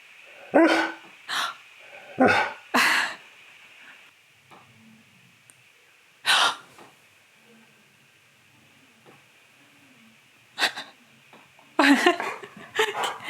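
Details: Pet dog Keyush answering his owner's dramatic gasps indoors: clusters of short, harsh, breathy woofs and grumbles, some paired, with long quiet gaps between outbursts and faint rustling.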